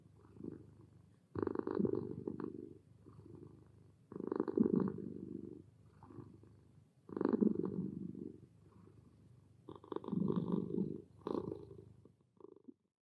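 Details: A calm house cat purrs in a relaxed state, low vibrating rumble rising in louder bursts roughly every three seconds with softer inhalation purrs between, faint room hum underneath.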